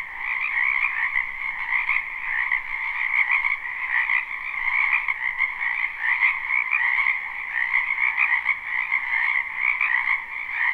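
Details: Wetland frogs in spring, a crowd calling at once behind a house in a live recording: steady buzzing-trilled croaks merge into one continuous high drone with gentle pulsing, no other sounds stand out.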